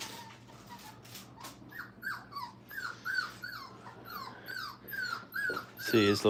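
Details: Five-week-old Brittany puppies learning to crate train indoors: thin, high whines that slide downward, repeated about three times a second in an uneven run, with a loud burst of human voice at the close.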